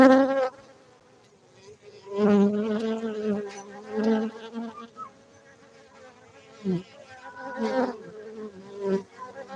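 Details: Honey bees at a beekeeping centre in Gayo, Bener Meriah, Aceh, Indonesia, producing a droning hum that swells and fades in bursts as insects pass close, with a low wavering tone and rich overtones.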